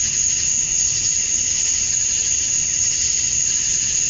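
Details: Cicada chorus on a summer night at dusk in Georgia, USA, males chirping for females: a constant high-pitched whine over softer throbbing waves of buzzing that rise and fall every second or so.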